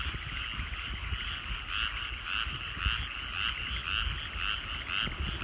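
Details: Rural rice fields at sunset with frogs calling: quick pulsed croaks repeat almost twice a second, growing stronger midway, over a continuous trilling chorus and faint low rumble.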